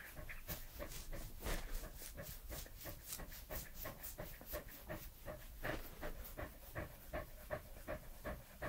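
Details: Pembroke Welsh Corgi Edmundo, three years old, panting close to the microphone indoors: rapid, fairly even breathy huffs about three per second, with soft wet mouth clicks throughout.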